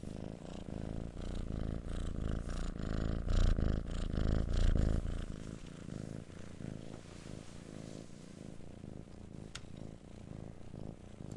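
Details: Low, rattling purr of a kitten, strongest in the middle with heavy rumbling breaths, then fading to a softer, quieter purr toward the end.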